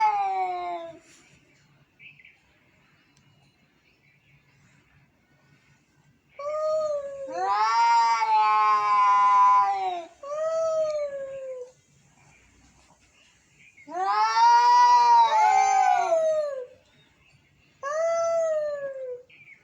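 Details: Angry cats meowing: long wavering harmonic yowls, rising then falling, in three drawn-out bursts of two to four seconds separated by quiet gaps, with overlapping voices in the louder bursts.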